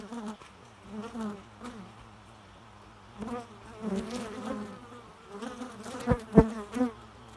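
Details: Low droning bee buzz coming and going in uneven swells as insects fly past, louder passes near the end with a couple of sharp knocks.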